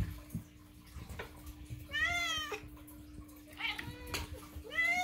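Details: Moo, a pet cat, loudly demanding food: three separate meows, each a rising-then-falling arched wail with rich harmonics, spaced about a second apart, over a steady low household hum and faint background voices.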